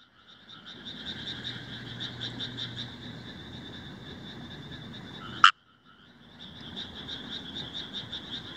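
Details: Rice frogs calling at Himeji, Hyogo, Japan, on 1 July 2018, taken with a compact camera: a steady grating, pulsed chorus, interrupted by one sharp loud croak, a second of silence, then the rasping chorus again.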